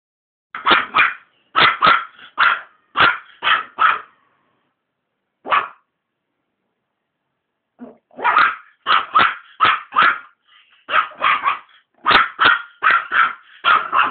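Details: Maltese dog barking at cigarette smoke: sharp, bright barks in quick pairs and triplets, a short pause after a run, then a denser burst of about a dozen barks near the end.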